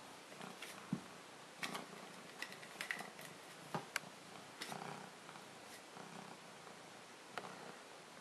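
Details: Maine Coon cat, male, purring indoors while being brushed; a soft, steady low rumble under scattered brushing strokes and clicks.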